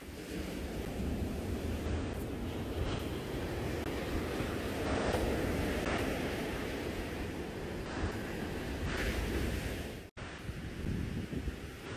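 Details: Steady roar of wind buffeting the microphone, like surf, with brief dropouts and no animal calls.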